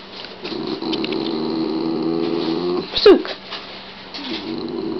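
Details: Shiba Inu dogs indoors, one gargling and another worked up over a rawhide; low, throaty, harmonic rumbling runs steadily for nearly three seconds, then a sharp yelp-like burst and a shorter rumble resumes.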